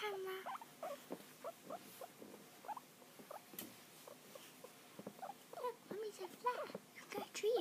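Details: Guinea pigs settling into a new home during their first week, one shy with big eyes; a steady run of short, chirpy squeaks about once a second, some bending up or down, under a woman's chatty voice and soft rustling.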